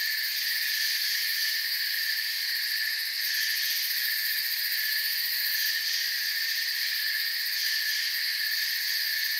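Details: Night forest crickets forming an even, shimmering wall of high-pitched trills that holds constant for the whole stretch, with faint pulsing texture and no birds, wind or voices standing out.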